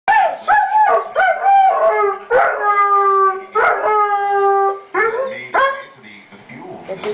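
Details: A male Weimaraner howling because he misses a friend who left for an outing. Long, loud, wavering howls rich in harmonics rise and then hold, one after another with brief breaks. A person murmurs faintly near the end.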